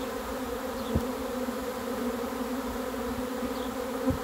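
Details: Honey bees swarming in as they are caught: an even, humming drone with a steady pitch, plus two soft thuds.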